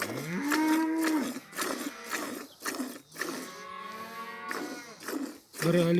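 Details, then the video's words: A cow in a village gives a loud rising moo at the start, followed by softer, lower lowing calls and rustling noise. "Ауылдағы сиыр осындай"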